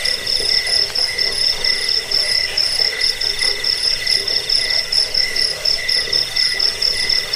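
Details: Steady, shrill cricket trilling with slower, looser pulses, about two a second, layered over a constant faint lower tone. The recording serves as a rat repellent, a lullaby and a bird-training tutor.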